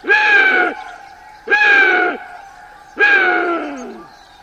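Chital giving three loud, harsh, bugling calls, each under a second long, spaced about a second and a half apart.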